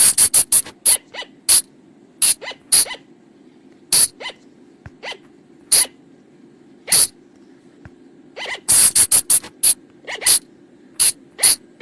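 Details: Flying lemur sounds used at night as a lure: dense, uneven series of short, hissing, sneeze-like bursts, tightly packed at the start and again after the middle, with quieter squeaky notes and a low background drone.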